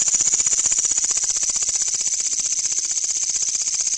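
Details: At night a loud katydid buzzes steadily, its high rasping pulses coming fast and evenly, roughly three per second, with a faint low hum beneath.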